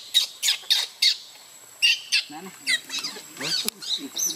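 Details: Baby monkey crying in the water after its mother leaves; sharp piercing shrieks in rapid bursts, then quicker chattering wavering cries.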